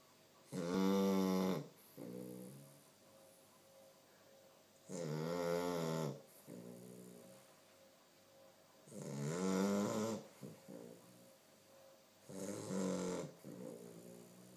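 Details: A two-month-old Chow Chow puppy snores heavily in loud, rattling, buzzy breaths, each followed by a softer wheezing exhale.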